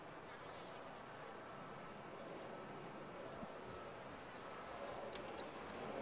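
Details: Honey bees in a top-bar hive, giving a steady, dense hum that stays even for six seconds and swells slightly toward the end, with no other clear sounds.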